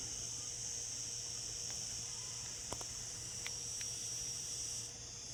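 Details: Cicadas singing in summer give a steady, high-pitched buzzing drone that never breaks.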